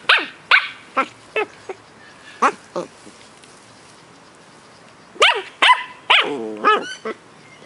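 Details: Two Cardigan Welsh Corgi puppies, brother and sister, ten weeks old, living in Adelaide, South Australia: scattered high yelps with steeply falling pitch, a pause, then a quicker burst of yelps and drawn whining squeals near the end.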